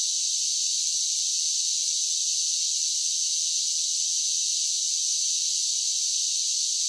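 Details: Cicadas in summer produce a constant sizzling, high-pitched buzz, steady in volume and pitch from start to finish, with nothing else audible.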